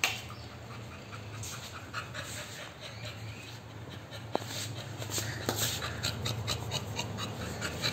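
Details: American Bully named Groza at play, panting fast at roughly 140 breaths a minute, quiet at first and growing louder in the second half, with one sharp click near the middle over a low steady hum.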